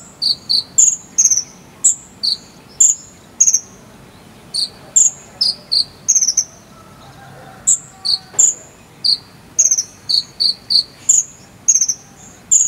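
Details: Jangkrik sambung cililin cricket, recorded as filler sound for training konin birds to sing: bright, clipped high chirps, many with short falling tails, repeated in quick irregular bursts of two or three with brief gaps, over a quiet low hiss.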